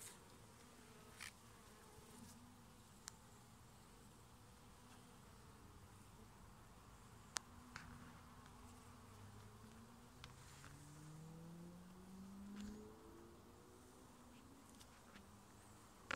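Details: Honey bees at a residential beekeeping hive in Nova Scotia as a beekeeper opens it looking for the queen; steady low buzzing hum of many bees with a few clicks and knocks of handling.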